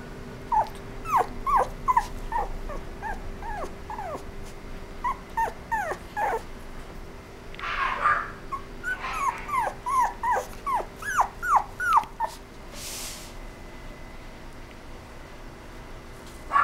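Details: Toy poodle whimpering: repeated short, high, whiny notes sliding downward, in uneven bursts of several cries with brief pauses, through most of the first twelve seconds; steady low electrical hum underneath, a short rushing noise near the middle, then quiet.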